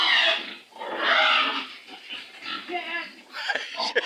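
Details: Stubborn sow resisting as it is loaded for transport, its head put into a sack; two loud, harsh, broadband squeals in the first second and a half, then fainter squeals and grunts under men talking.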